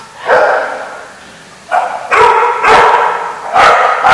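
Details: At the Barking Lot on 14 November 2014, dogs let out full, ringing barks, some stretched and drawn out, roughly every half second to second, with short gaps between.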